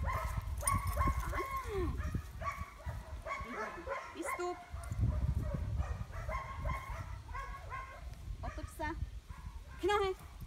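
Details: A one-year-old Cane Corso (Corso reale) barks in deep, harsh bursts during defence training, with a human voice and rumbling noise.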